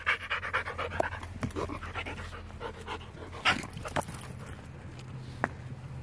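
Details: A Border Collie pants in quick breathy bursts while doing fetch training, with a person talking in French and scattered clicks and thumps.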